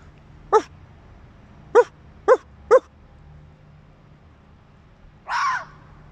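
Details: A fox at night, sneaking through an industrial area: four short, hoarse barks spaced about half a second to a second apart, then a longer, harsh, rasping scream.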